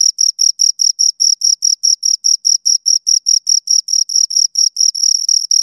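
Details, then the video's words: Crickets, two of them, chirping right at the microphone: sharp high pulses roughly four a second, blurring into a continuous buzz near the end. "Two Crickets Chirp Sounds for Two Hours Right on Your Ears"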